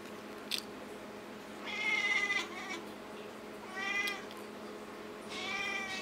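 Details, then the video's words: Pet cat named Çokomel, said to have started talking, gives three drawn-out harmonic meows about two seconds apart, each rising then falling, in a quiet indoor room with a faint steady hum. "Talking Cat"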